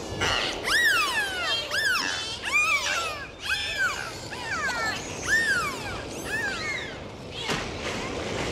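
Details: Dolphins calling in the ocean during a dive: loud, clear arched whistles with rich overtones, rising then falling, repeated roughly every second, with some overlapping calls and a soft hiss of moving water.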